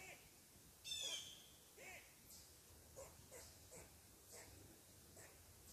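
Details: A squirrel, upset that someone is sitting on its tree, gives a sharp bark, then a string of fainter, clipped chucks about every half second, before eventually climbing down to investigate.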